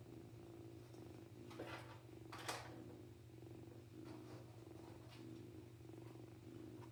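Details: Domestic kitten purring indoors, a young male that has purred since very small; steady low rumbling purr throughout with soft rhythmic pulses, a few brief rustles and clicks over it.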